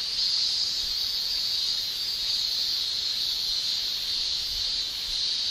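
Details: Summer in Japan: male cicadas produce their tymbal song as one continuous, even, high shrill drone with no breaks or rhythm, filling the whole stretch.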